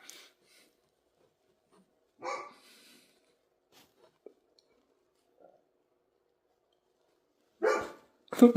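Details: Dog giving a few isolated barks separated by long silences: one at about two seconds and a closely spaced pair near the end, with faint small clicks between.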